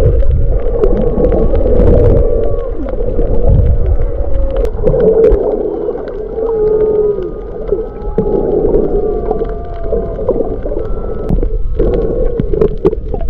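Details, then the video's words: Humpback whales recorded underwater off Maui, February 2023, among fish sounds: long tonal moans gliding up and down, some rising in pitch, layered over a steady hum, deep rumbling and frequent crackling clicks. "Fish Mix, Maui Humpback Whales"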